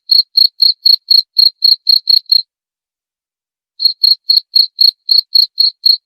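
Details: Cricket chirps presented as a sound for driving away rats: quick regular pulses about four per second, broken by a silent pause of over a second midway, then resuming; nothing else heard.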